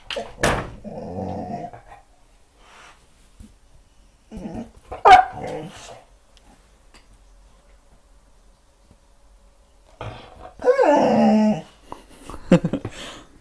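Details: A Staffordshire Bull Terrier gives short, tonal whining bursts mixed with soft growly sounds while reacting in confusion to its own reflection in a mirror.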